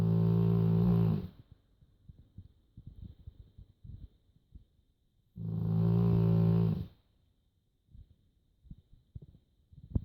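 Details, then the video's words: Deep, buzzy snores from Joschi, a pet dog who snores a bit: two long rasping breaths roughly five seconds apart, with soft snuffles and faint crackles in between, recorded indoors. "Lustig Hund schnarcht"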